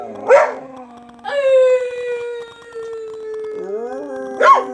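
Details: A Siberian Husky gives a long, sustained howl, slowly falling in pitch, framed by short yelping barks.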